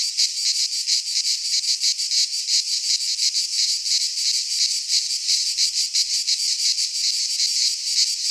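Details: Midsummer cicada song from Greek pine woods: high, hissing, sizzling drone with rapid rhythmic surges, close and constant, nothing else audible.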